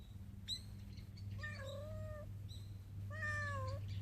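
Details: A mother cat outdoors calls her kitten to come eat, observed from far behind a tree; two long, level, tonal meows with a slight rise and fall, plus a brief chirp, against a constant low hum.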